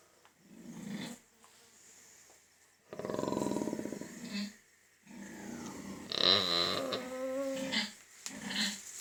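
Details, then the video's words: Pig vocalizing during a teeth check, with low rapid pulsed grunts, then rising and wavering squeals and further grunts. Short pauses separate the bursts. "Cute Pig 🐷 noises while having teeth checked"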